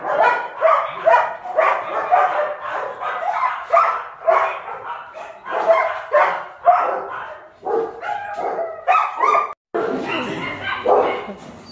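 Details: German Shepherd puppies at Zondiram Kennel, several pups barking and yipping together in dense, overlapping bursts, sharp high yaps packed closely for about twelve seconds with hardly a pause.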